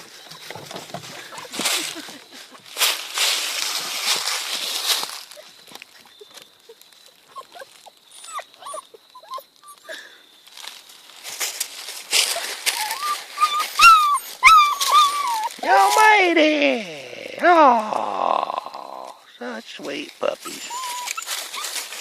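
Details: Two young German Shepherd puppies struggling to cross a bridge outdoors; high, wavering whimpers and yelps cluster around the middle and later part, with rustling, footsteps and a woman's encouraging voice throughout.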